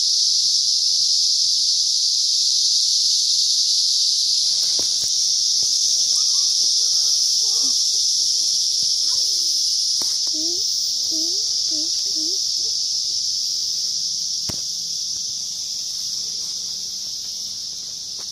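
Cicadas produce a steady, high, shimmering buzz that drones on without a break.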